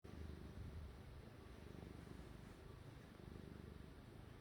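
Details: A domestic cat busy kneading, its low, steady purr rumbling continuously in soft rapid pulses throughout, quiet and close, with no other clear sounds.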